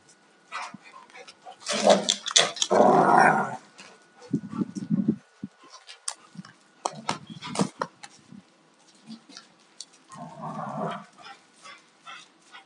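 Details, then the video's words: Alaskan Malamutes, a 2-year-old male and a 4.5-year-old female, fight-playing: loud snarling growls rising into a harsh yowl, then repeated lower growl bursts, with paws scrabbling and bumping between calls. "Malamute fight-play"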